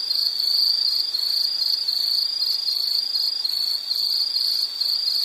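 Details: Chorus of insects in a nature scene, a bright high trill broken into rapid even pulses, steady and loud, with a faint higher buzzing layer and nothing else audible.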